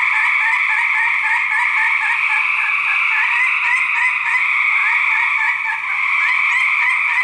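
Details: Male gray treefrogs fighting, recorded in 2010 for research: dense overlapping trills, each a rapid train of pulses, forming a steady loud chorus band with quick beaded notes repeating throughout.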